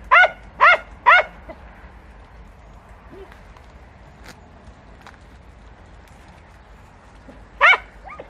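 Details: Podencos on a hunt in bramble, Campo Arañuelo: three quick barks open, then a long near-silent gap with faint rustles and a soft yelp, and a single bark near the end.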